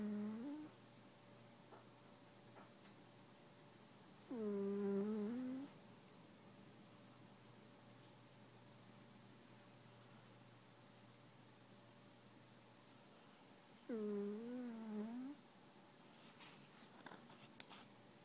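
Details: Snores from EV the cat, indoors: breathy, droning, humming sounds that sag and then climb in pitch, each lasting over a second, separated by long quiet gaps, with a constant low electrical-sounding hum and a sharp click near the end.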